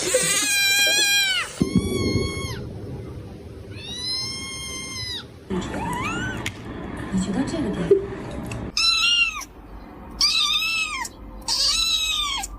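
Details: Frightened cat giving loud drawn-out meows, some long and level, others short and rising, in several separate bursts with pauses between; a person speaks and laughs, and music plays in the background.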